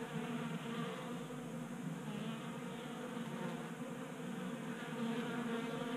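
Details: Many honey bees feeding at a 3D-printed feeder on a Colorado workbench in January, active because of unseasonable warmth; continuous layered buzzing hum, slightly rough and fluttering, swelling louder toward the end.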